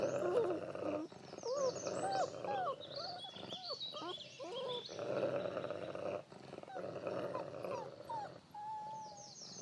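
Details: Wolf father Lighthawk with seven pups of the year, laying down rules; steady rasping growls run throughout, overlaid by many quick, swooping whines and squeaks, with a longer flat whine near the close.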